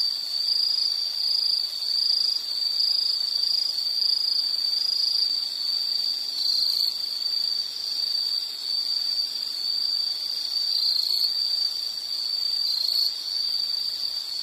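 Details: A continuous high-pitched insect trill runs throughout with slight wavering and soft pulsing. Faint background hiss sits underneath.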